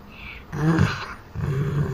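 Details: Sleeping pit bull named Champ, living in the Thailand jungle, gives a deep, throaty rattling snore, one rough breath followed by a steadier low drone.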